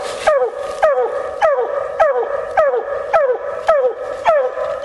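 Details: Female Bluetick Coonhound out coon hunting, giving a steady run of loud barks, about eight in five seconds, each with a sharp onset and a falling tail, harmonically rich and evenly spaced.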